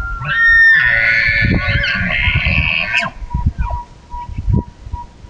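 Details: At dusk, an elk from a herd gives a loud, drawn-out bugle: a rising whistle swelling into a strong, harsh, layered scream for about two seconds, then breaking off into low grunts and a faint steady tone.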